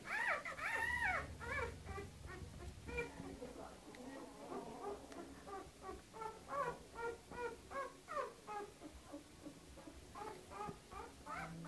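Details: Canaan dog with her pups, a loud whine at the start followed by a quicker string of softer, shorter whimpers, about two or three a second, with faint speech.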